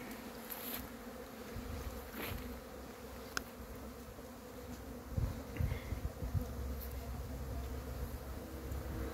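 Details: Honey bees at the hive making their cleansing flight on 10 February 2022, stretching their wings; a steady low hum runs throughout, with louder buzzes from bees passing near and a few faint clicks.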